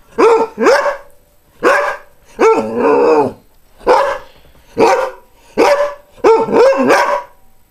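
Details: Barking greyhound: a run of loud, clipped barks, one stretched into a longer wavering whine-like bark, then more barks, some in quick doubles, with a quiet background.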